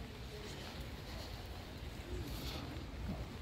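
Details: Wind buffeting the microphone with rain-like hiss and faint muffled voices, no animal call heard.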